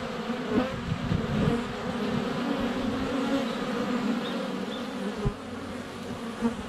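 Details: ['Honey bees in flight around their hive entrance, filmed less than a foot away on a sunny February day: low, steady, layered droning with short louder swells as bees pass the camera, a soft thump near the end.']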